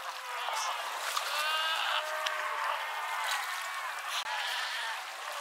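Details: Cape fur seals at Pelican Point near Walvis Bay, Namibia, 18 July 2012; many overlapping bleating, sheep-like cries from a crowded colony with constant hissing background noise.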